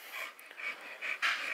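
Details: American Bully pocket male dogs in Romania, one three years old and one eleven months old; quick, breathy panting in short hissing bursts that build to a louder final puff.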